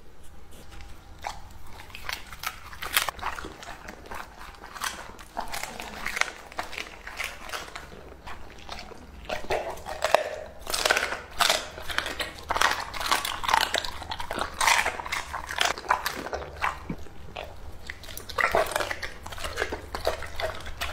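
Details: Lucky, a two-and-a-half-year-old male English Labrador Retriever, eats raw meat indoors. Wet, crunchy bites and chomps come thick and irregular for twenty seconds, some sharper snaps between softer smacking.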